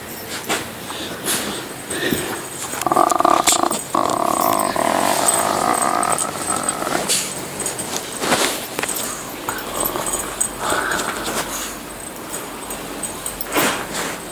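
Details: Pet dog about 10 to 12 years old, recorded 25 January 2014, making funny noises when provoked: drawn-out groaning, howl-like moans with a steady pitch lasting several seconds, over broadband background noise and scraping.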